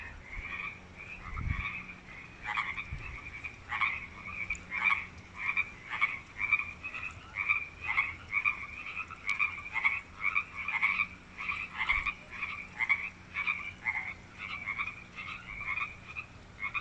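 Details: Frogs calling loudly from a newly built artificial creek water feature at UBC's Wesbrook Village; a dense chorus of short pulsed croaks, roughly one per second, overlapping callers, with faint traffic rumble early on.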